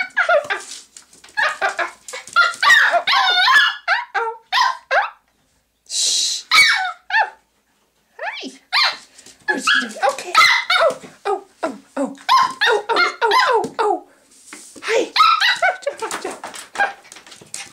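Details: Playful Pomeranian puppy, six months old, amusing herself in the bathroom each morning: a long run of rapid, excited high yips, whines and sharp barks, about three per second, with brief pauses and a rustle.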